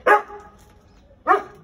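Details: American Akita dog in Gurgaon giving two short, loud, gruff barks about a second apart, with quiet background between them.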